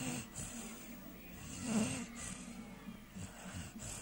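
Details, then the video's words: Dager, a three-month-old American Staffordshire Terrier puppy, snores while asleep: one soft, breathy snore swells in the middle of a quiet stretch of low rasping breaths. "American Staffordshire Terrier puppy snoring"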